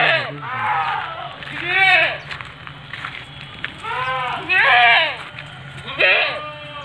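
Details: Young Etawa goat, a seven-month-old female 70 cm tall, repeating loud tremulous bleats with a strongly wavering pitch, three calls in about seven seconds, while a man comments in Indonesian.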